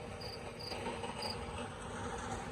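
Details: Night crickets in a town square in Tavira, Portugal, just after being startled by a passer-by: three short high chirps in the first second and a half, then they fall quiet against a low, steady urban rumble.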